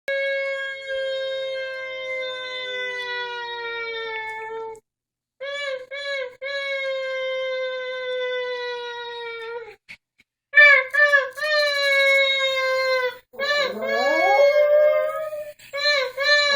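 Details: A pet dog howls together with its owner indoors: long sustained tonal howls, slowly falling in pitch, in several drawn-out phrases broken by short pauses, with a wavering human-like howl overlapping near the end.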